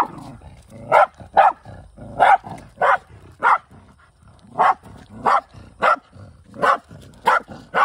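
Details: Hunting Shiba Inu, the male Kai, in countryside with a rescued former feral dog: bursts of sharp barks, some in quick pairs, broken by a short quiet gap midway.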